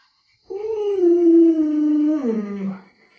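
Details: Alaskan Malamute named Luoluo, a family pet, vocalizing beside the small child of the household, who rides on it without angering it: one long smooth howl-like tone held level for about two seconds, then sliding down and fading.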